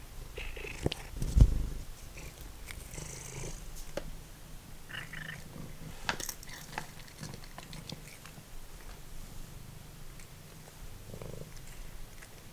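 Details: Snacking on dried minnows like potato chips, formerly feral cat Simba purrs in a low, even drone, with scattered crunches and chewing noises from the meal layered on top.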